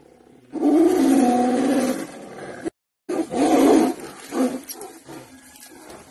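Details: Tiger fighting a sambar deer: a long, loud, rasping roar for about a second and a half, a short break, then another harsh roar and fading growls.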